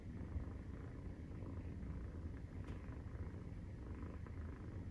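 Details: Maine Coon cat purring during nursing, kittens 43 days old, indoors in a Japanese cat family: a steady, deep, low rumbling purr throughout, with one faint click near the middle.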